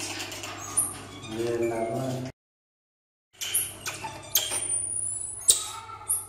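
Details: A pair of Common marmosets gives thin, very high whistled calls with sharp squeaky chirps, over a low steady hum.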